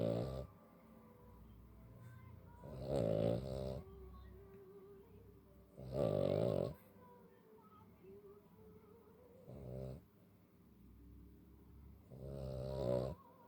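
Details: A tired Cavalier King Charles Spaniel, trying to sleep in the dark, snores in rough, rasping bursts roughly every three seconds.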